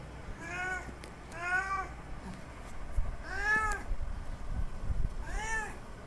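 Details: Male cat's mating call to a female in heat: four long, wailing meows with strong harmonics, the pitch bending up then down in each, over a low rumbling background.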